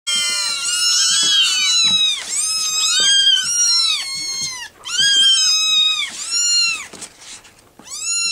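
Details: Litter of rescue kittens demanding to be fed, a chorus of overlapping high-pitched meows, arched rising-then-falling cries crowding one another with brief gaps.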